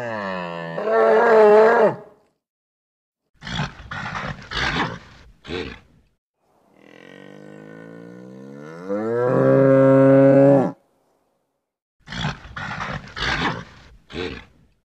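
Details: Nervous bull alternating rasping bellows with clusters of short, explosive snorts and huffs, two long moaning bellows separated by bursts of breathy grunting.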